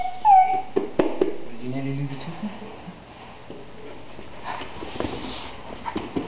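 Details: Alaskan Malamute named Thunder vocalizing, stirred up as a person laughed hard; a high whiny squeal opens, then low moaning, wavering tones, with people talking and scolding throughout.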